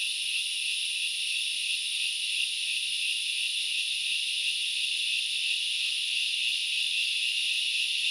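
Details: In the Central Highlands forest of Knuckles Reserve, Sri Lanka, grasshoppers make a constant high-pitched buzzing wash, even and unbroken, layered in several shrill bands, with no other clear sounds.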